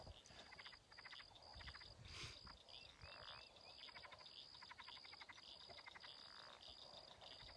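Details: Tree frogs just starting to chirp give quick, pulsed trills over a steady high insect drone at a ranch lake in late April.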